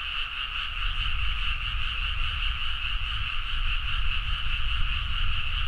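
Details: Midnight frog chorus from rice fields in Nagaoka, Niigata, Japan, recorded with a Zoom H4n: continuous overlapping pulsing croaks forming a shimmering steady drone, over a strong low rumble.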